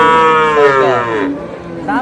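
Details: Moo from a cow kept with calves at Ambari market in Dinajpur, August 7, 2026: a loud, rich call that slides downward in pitch over a second, then a short second moo begins, with faint market chatter.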